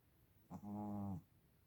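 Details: Sleeping female Shih Tzu snores once, a drawn-out, low, vibrating rasp lasting roughly seven tenths of a second, opening with a short catch of breath, with nothing else audible.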